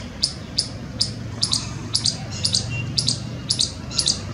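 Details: An Indian palm squirrel on a palm tree in Jammu gives sharp, high chirps, repeated roughly twice a second.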